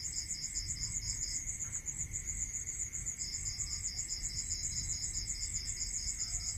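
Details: Two crickets sing together at night in the rural countryside in fast, regular, high-pitched pulses. One pauses briefly midway before resuming, against a constant thin tone and a muffled low background.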